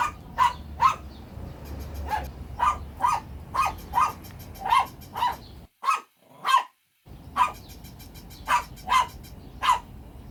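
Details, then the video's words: Dog barking loudly and persistently, a steady run of sharp barks roughly every half second, broken by one brief silent pause midway. "Funny Dogs Barking to Make Your Dog Bark"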